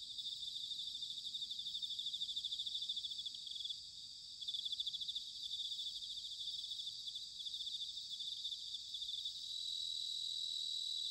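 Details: Autumn chorus of bell crickets recorded at Sanuki, Chiba, Japan: continuous high ringing trills, rapidly pulsed, at moderate distance, with a brief dip in volume and a faint low rumble of background noise beneath.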